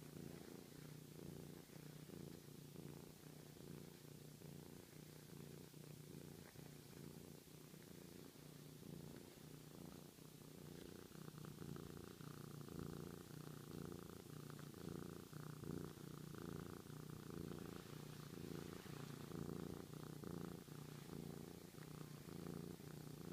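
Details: Long affectionate purr from Sochi, a very friendly cat who shows love by rumbling; low continuous vibration pulsing about once a second, growing slightly louder in the second half, soft handling noises throughout.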